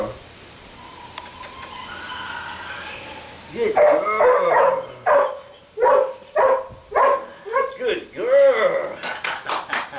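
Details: Female sable puppy, eight weeks old, giving a run of arched, rising-then-falling whining yelps about once a second in the second half, after a quiet start, while a person repeatedly praises her with "good girl" and music plays.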